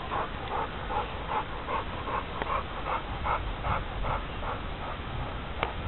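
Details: Billican, a four-year-old male American Bulldog, pants in quick even breaths roughly two and a half per second over a rumbling low background noise.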